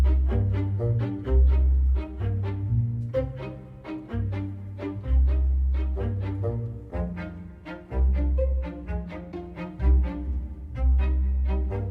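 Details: Bowed string music with low cello and bass notes, no animal voices. The strings play a steady, rhythmic pattern of repeated notes throughout.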